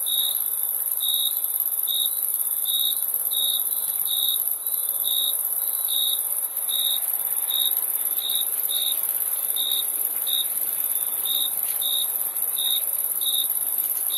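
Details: Cricket chirping: short bright pulses repeated a little more than once per second in a steady rhythm, over a continuous high-pitched insect hiss filling the background.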